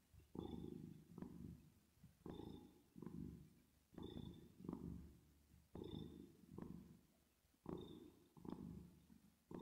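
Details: ['Sleeping domestic cat purring with a reverb effect: soft low rumble pulsing in repeated inhale-exhale bursts roughly every second, slightly quieter, with faint breathy whistles on several breaths.']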